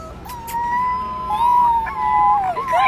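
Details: Small white puppy howling inside a blue shopping cart: a long, drawn-out tonal howl that wavers and slides gently up and down, then breaks into shorter bending notes near the end, with a few faint clicks early on.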